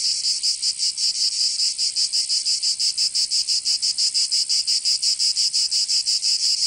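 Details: Cicadas singing in summer in Provence, southern France: a shrill, high-pitched buzzing chorus throbbing in steady pulses about three times per second, with no other sounds.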